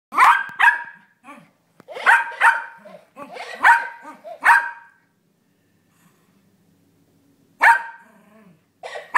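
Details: Six-year-old Yorkshire Terrier barking at a toy parrot that repeats his barks, apparently growing frustrated, recorded on a phone: sharp, clipped barks in bursts of two or three, with pauses and fainter echoed barks between.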